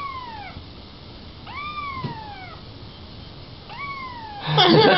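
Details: Young kitten meowing and 'talking': three clear, drawn-out meows, each starting high and sliding downward, spaced about a second apart, ending in a burst of rustling noise.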